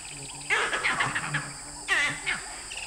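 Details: Vervet monkeys high in trees in the Okavango Delta, heard from a distance in early morning, give harsh, barking alarm calls in two quick bursts, looking down at a well-hidden young male leopard below.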